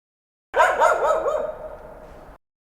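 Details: Dog giving a run of quick, wavering yelping barks, three sharp bursts that blend into a drawn-out, slightly falling whine, with no other sounds.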